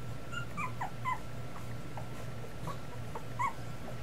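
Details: Miniature Schnauzer puppies, two weeks old, let out thin high squeals and bending whines, some clustered early and others spaced out, with a constant low hum underneath.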